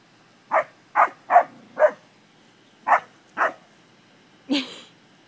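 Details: Spaniel barks while English springer spaniels play with cattle, four quick sharp barks, a short gap, two more, then a brief human exclamation.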